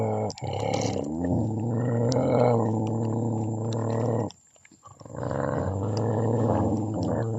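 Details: Dog in a family of puppies gives rough, low, sustained growling with a steady harmonic tone, a brief drop in the middle, then another long growl.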